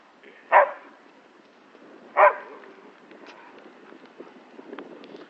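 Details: Alaskan Malamute at play with a cow lets out two separate short, rough barks about one and a half seconds apart, with faint background noise between them.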